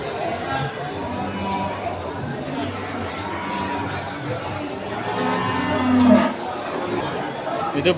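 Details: Cattle at the Pon cattle market in Ambarawa, Indonesia, during Ramadan 2024: low, drawn-out lowing moos with a steady harmonic tone rise over constant crowd chatter, nearby speech and background music.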